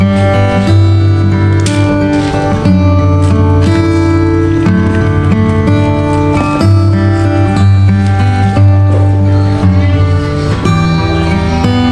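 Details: Loud guitar-led country-style music fills the whole stretch, no animal voice heard.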